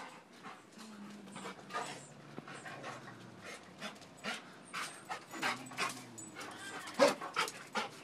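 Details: A dog pining over a squirrel pants quickly and unevenly, a soft breathy rhythm of short puffs with a few faint whimpers, indoors with little other sound.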